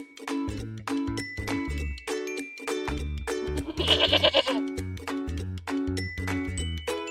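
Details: A baby goat gives one short, rough, quavering bleat midway through, set against bouncy children's music with a bass line and bright melody throughout.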